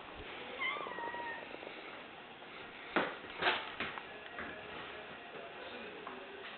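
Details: During a game of fetch, the female kitten Ginger gives a short, bright meow to ask for her ball to be thrown, followed by sharp knocks and clatters of the ball in a small room.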